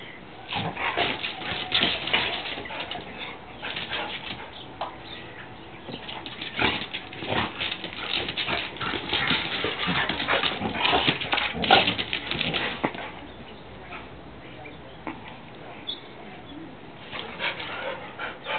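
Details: Two dogs, Kizzy the Labrador and Mollie the Drentsche Patrijshond, playing together in an empty garden; a dense stretch of rough growling and scuffling noises, with irregular bursts of yips and whimpers throughout.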